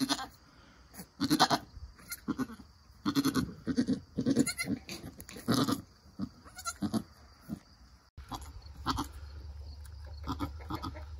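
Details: Nigerian Dwarf goat doe giving birth to a doeling kid, which later stands up and nurses. Soft, low, grunting bleats come in quick irregular bursts with short pauses, then a faint steady hum.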